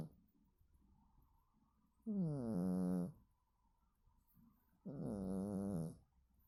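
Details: Domestic cat snoring while asleep: two long, droning, tonal breaths about a second each, spaced roughly three seconds apart, with quiet pauses between them in a still room.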